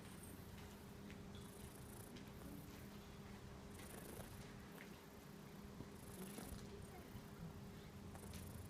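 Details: Affectionate, friendly cat, one of many living at a local shrine in Japan, purring while rubbing against a person; a steady low rumbling purr runs throughout, with faint outdoor background noise.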